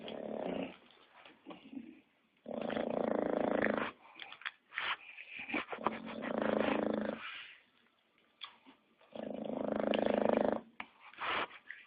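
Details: English Bulldog snoring: harsh, rasping, broadband snores lasting one to one and a half seconds, returning every three to four seconds with quieter snuffling breaths between, indoors.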